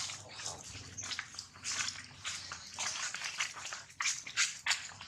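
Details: Jinx, a baby monkey, cries loudly after being bitten hard by another monkey, Jade: bursts of high, shrill squealing come in ragged waves, with a low hum and indoor noise beneath.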